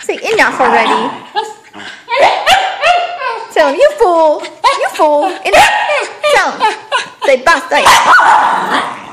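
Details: Kimchee the whippet mix begging for a balloon, with a near-continuous run of curving, yodel-like whines and short yips, rising and dropping in pitch. Human speech is mixed in.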